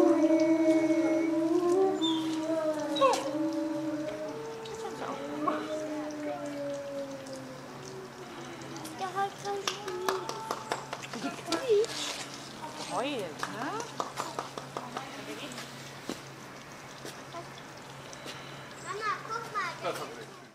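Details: Timber wolf pack in a zoo enclosure howling together on the leader's squeaking cue: several overlapping tonal howls, some sliding up and down, strongest in the first half, then fading; a visitor's clapping follows as sharp repeated claps.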